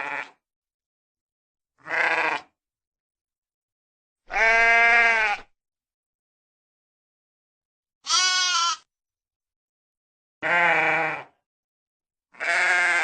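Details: Sheep sound effect of six bleats in thirteen seconds, roughly every two seconds, mixing short high quavering cries with longer, full, vibrating baas; clean background with nothing else audible.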